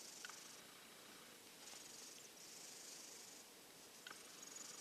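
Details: Silver tabby cat recovering from a cold, isolated and still off its food, sleeping sandwiched in a hot-dog bed; soft breathy hiss-like snores rise and fade in slow waves, with faint clicks.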